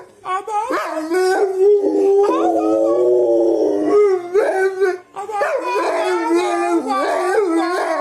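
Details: Dog producing weird, speech-like howls: a run of sustained moaning phrases that swoop up and down in pitch, broken by short pauses, with a burst of yowling after a brief gap near the midpoint.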